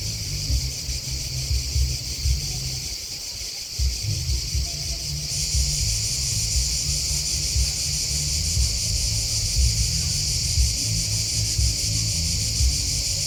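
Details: Crickets chirping in a steady, dense high-pitched chorus that never pauses, a shimmering buzz that grows fuller after about five seconds, over a constant low rumble like distant traffic or wind.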